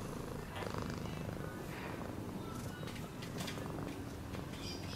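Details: Low rhythmic cat purr rumbling under scattered faint higher rustling and clicking noises across the short stretch.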